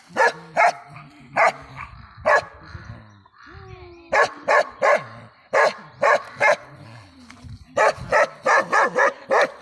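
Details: Bakarwal dog barking in irregular clusters, loud sharp barks separated by quieter stretches with low murmuring sounds, ending in a fast run of barks.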